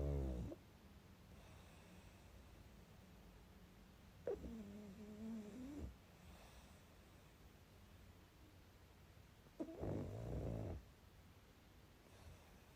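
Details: Dozing pug indoors: two snores roughly five seconds apart, the first a wavering, slightly nasal drone, the second a rougher rattling rumble, with soft breathing between.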